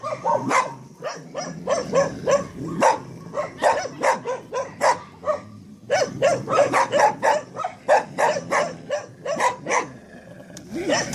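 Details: Staffordshire Terriers barking in rapid, irregular bursts of sharp barks, about three per second, with short pauses between volleys.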